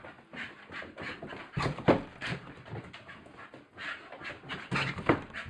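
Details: A Staffordshire Bull Terrier playing wildly on the stairs pants and huffs in quick, breathy bursts with a couple of brief whimpering tones.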